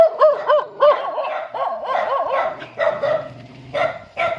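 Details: Dog greeting its owner as the owner comes home: rapid, excited, wavering whines and yips that rise and fall in quick arcs, several each second, running together into a continuous eager cry.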